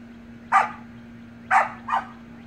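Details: Samoyed pups at play in a pool yap three times, one single bark followed a second later by a quick double, each bark short and high-pitched, with a faint continuous hum underneath.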